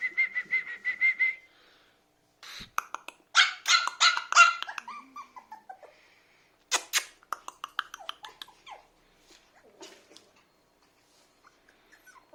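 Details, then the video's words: Biewer Terrier puppy, a toy breed, whining in a thin high tone, then bursts of sharp squeaky yips and barks separated by short silences, fading to soft whimpers near the end. "BIEWER TERRIER PUPPY"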